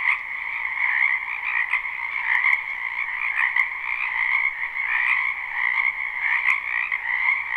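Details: Wetland frogs in spring produce a thick, continuous croaking chorus, captured live with no looping; rapid pulsed trills overlap steadily, with a few sharper clicks standing out around the middle.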